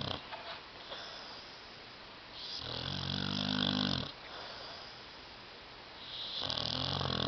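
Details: Sleeping dog on a love seat gives loud, rattling snores, one long buzzy snore lasting about a second and a half, a quiet pause, then another harsh snore beginning at the end.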